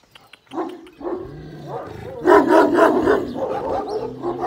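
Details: Kangal dogs at a Turkish breeding farm barking in a dense, overlapping chorus of deep, rough barks that swell loudly midway and keep going to the end, with a low hum underneath.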